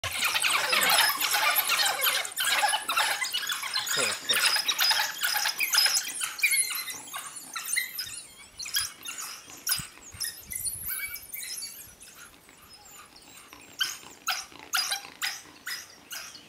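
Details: Pack of eight African wild dogs at morning in South Luangwa National Park near Mfuwe Lodge, Zambia, keeping a leopard treed; dense high-pitched squealing twitters pour out, loudest early, then thin into scattered chirps.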